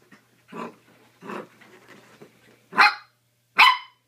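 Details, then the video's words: Mini dachshund puppy going wild during play makes two rough, growly barks about every three quarters of a second, then two louder, sharper yaps close together near the end. "mini dachshund puppy going crazy playing"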